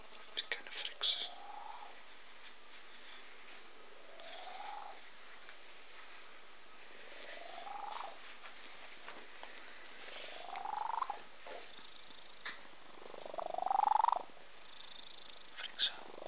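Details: Sleeping cat snoring steadily: rising, wheezy drawn-out snores repeat roughly every three seconds, the last one louder and harsher, with faint clicks and rustling between breaths.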